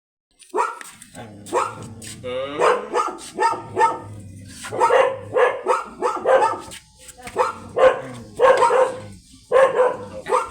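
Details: Belgian Malinois during a stud mating in which both the dam and the sire are first-timers. Short, harmonic yelping barks come in irregular bursts about every half second to second, with human voices faintly mixed in.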